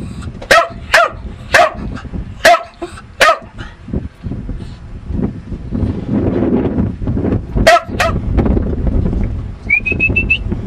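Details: Domestic dog Lucky barks in a fast series of six short woofs, falls quiet amid low rumbling noise, then gives two more barks, and a brief rising whistle-like tone sounds at the end.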